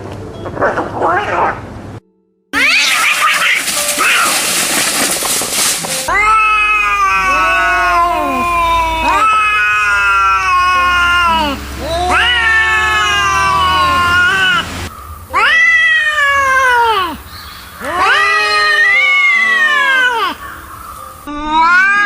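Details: Angry cats in a bout of total anger: long wavering yowls with rich stacked harmonics, rising and falling in drawn-out arcs, repeated back to back, opening with a brief hiss-like noisy burst.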